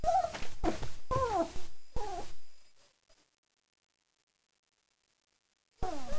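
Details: Recently fed German Shepherd puppies at four weeks whine in drawn-out, falling, meow-like tones. Several overlapping cries come close together, then a long quiet gap, then one more descending whine.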